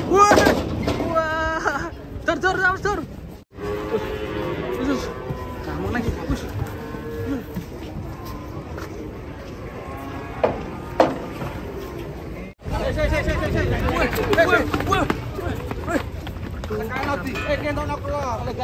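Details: Sacrificial cattle for the 2023 Eid al-Adha (kurban), jumping down from a truck while being unloaded; low, drawn-out lowing moos rise over the noisy crowd, with loud bursts of music and excited voices around them.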